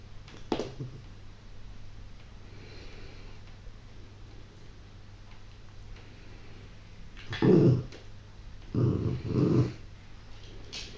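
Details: Yorkshire Terrier puppy, seven weeks old, female, playing indoors with a chew; short low growling bursts near the start and two louder rumbling growls after seven seconds, a woman's voice speaking softly nearby.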